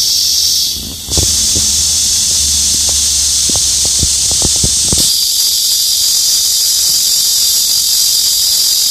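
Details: ['Summertime cicada song from hidden insects on tree branches: loud high electric-sounding buzz, shifting pitch after a brief dip, with a few soft knocks and clicks in the background.']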